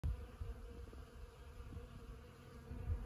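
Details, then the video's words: Honeybees foraging around sand buck brush (Ceanothus cuneatus var. fascicularis) in Los Osos elfin forest on a fine morning: a low, steady droning hum that swells and fades slightly, with brief louder thumps near start and end. "Honeybees on Ceanothus cuneatus at Los Osos elfin forest."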